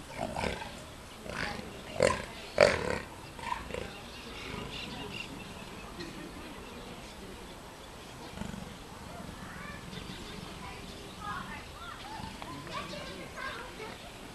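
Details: Jaguar father and cub in captivity at Attica Zoological Park, Greece, the cub finally giving in during their tussle; several harsh, rasping bursts crowd the first four seconds, then fade into a quieter low rumble with faint human voices.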